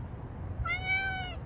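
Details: A domestic cat complaining, as if talking: one drawn-out meow about 0.8 seconds long, a steady, slightly rising then falling tone rich in harmonics, indoors with low background hum.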